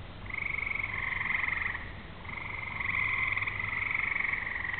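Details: Frogs sing on a summer evening as rain approaches: long, rapid, buzzy trills, two main callers almost continuous with a short gap near the middle, over a quiet low hum.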